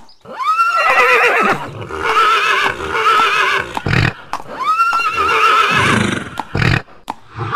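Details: Horse whinnying loudly: two long, shrill neighs, each starting with a rising tone and then quavering and trembling for several seconds, with snorting and thumping between them.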